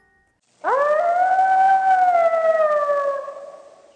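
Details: A three-month-old gray wolf pup, replying to an adult howling near the den site, gives clear, rising-then-sliding howls, shorter and higher than an adult's, with the same modulated structure as an adult lonesome howl.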